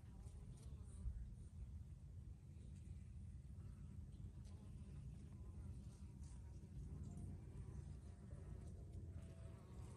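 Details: Bees foraging in basil blossom, a soft low droning hum with faint overtones that wavers in pitch as insects come and go, over a constant deep background rumble.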